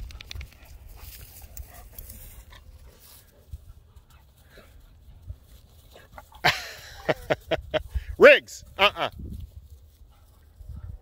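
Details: Dogs, a Doberman and a Labrador, playing outdoors on an evening romp. After a quiet stretch comes a burst of sharp, harmonic barks and a rising yelp, with a man's voice calling to the dogs.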